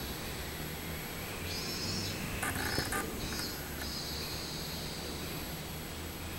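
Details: Robust cicada singing on 24 July 2016: bright, buzzy high-pitched phrases swell out of steady low background rumble midway, in a few pulsing bursts before fading back into a faint drone.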